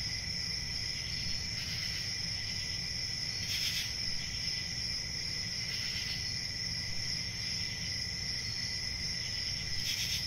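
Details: Cricket chirping forms a constant high, ringing drone of stacked pitches, interrupted by brief louder pulses at uneven intervals, and a quiet low background rumble.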